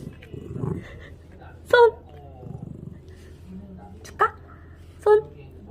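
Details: Nine-year-old chubby Maltese in Ssangmun-dong, fed up while being asked to give its paw, lets out three short, sharp barks a couple of seconds apart, with a woman's quiet voice before them.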